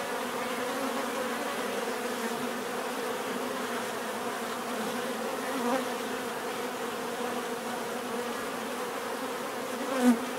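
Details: Dense bee buzzing forms a steady drone, with a single bee flying briefly close near the end, producing a louder buzz.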